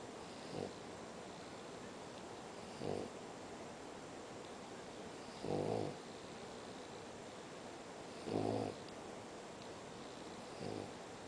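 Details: A French Bulldog sleeping curled up in its bed in an air-conditioned room snores in low, rasping bursts roughly every two to three seconds.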